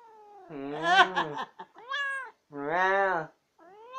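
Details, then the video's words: A talkative female pet cat that always gets the last word, giving drawn-out harmonic meows: a wavering call, a short rising one and a long level moan, with brief pauses between. "cat gets last word in ALWAYS!"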